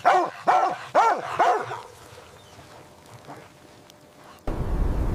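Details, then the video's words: Playful puppies with their mother dog in fresh white snow. Four arching, tonal barks come in quick succession, about two per second, then quiet, and finally a sudden rush of broadband noise. "Dog barking sounds"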